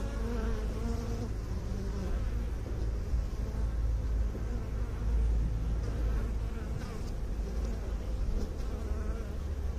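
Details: Loud, low honey bee hum, a heavy rumbling drone with shifting overtones as many bees buzz together, steady for nearly ten seconds.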